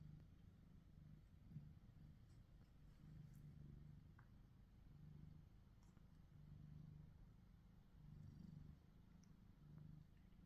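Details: Domestic shorthair cats, one black-and-white male and one gold British Shorthair male, kissing then biting each other; a low, steady rumbling purr runs throughout with gentle swells in loudness and faint clicks above, recorded on a phone.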